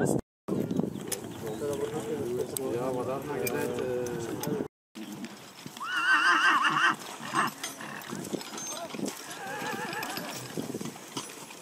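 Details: Belgian draft horses at a plowing day run by a draft horse association, women handling the plow, Nederokkerzeel, 27 March 2022; a loud, quavering high whinny of about one second follows low droning sounds, with people talking nearby throughout.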